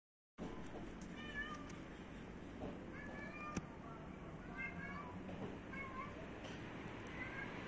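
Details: Cats in a yard in Athens, Greece, giving soft, faint meows, thin rising-and-falling tones repeated several times, with a person softly calling psst and quiet background noise.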